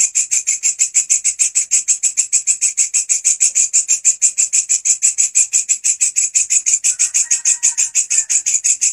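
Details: Loud walang kecek grasshopper chirping, kept as a master sound for teaching songbirds. Harsh, buzzy high pulses repeat about three per second in a steady rhythm, with a faint brief whistle-like tone near the end.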